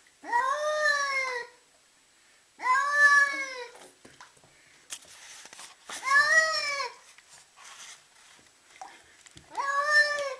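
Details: Upset domestic cat freaking out, giving long drawn-out yowling meows, four loud calls spaced about three seconds apart with rich harmonic tone, rising then falling, quiet gaps with faint rustling between.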